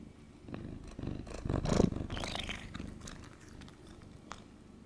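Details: Domestic cat purring while being held, a low soft rumbling throb throughout with faint rustling and a brief louder swell near the middle.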